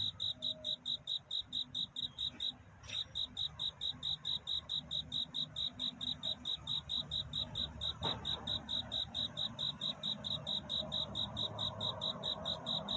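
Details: At night a cricket calls to attract a mate, sharp high chirps in a regular series of slightly more than two per second, briefly broken near the third second, with a couple of faint clicks in the background.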